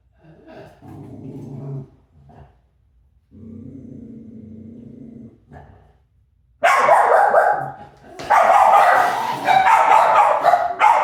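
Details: Low, drawn-out rumbling and growl-like sounds from a chaser dog open the clip, then give way to a fast, heavy volley of harsh barks that carries on almost without pause.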